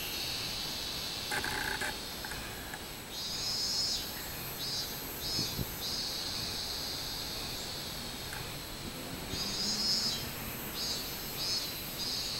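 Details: Summer song of the minmin cicada, recorded 24 July 2016: bright shrill buzzing in surging phrases that break into short pulsed bursts, over a quiet hissing background with a few faint low knocks.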